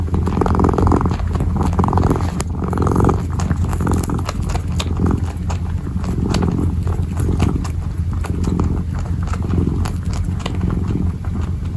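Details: Kitten kneading and purring: a continuous low rumble underlies soft scratching and shuffling sounds, with a few brief louder rustles near the close-up.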